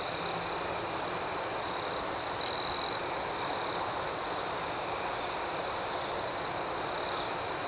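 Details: Night crickets form a constant high trill dotted with irregular pulsed chirps, and one nearer cricket's trill swells loudly for half a second around the two-and-a-half-second mark.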